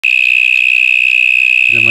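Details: Cicada hidden inside a stormwater drain, an extremely loud insect: a steady, piercing, unbroken shrill buzz at one high pitch with a faint pulsing texture, and a brief voice entering near the end.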